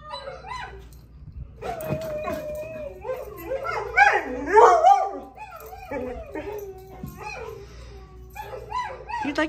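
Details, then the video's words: Pet dog vocalizing while watching dogs on a television show, wanting to talk with them: warbling, rising and falling whines and yodel-like howls, with a loud burst midway, over background music and a woman's voice speaking to it. "the talking doggo watches her tv show. funny dog wants to talk with the dogs on the screen"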